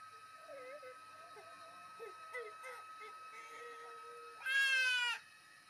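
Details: Stray tomcat of a housing-complex alley, shy of people, calling while fed; soft faint mews give way to one loud, drawn-out, harmonically rich meow near the end, with a steady background hum and gentle human speech.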